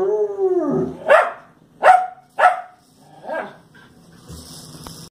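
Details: Fox Terrier barking at the television: a falling whine, then three loud sharp barks and a softer fourth, followed by a faint hiss and a low hum.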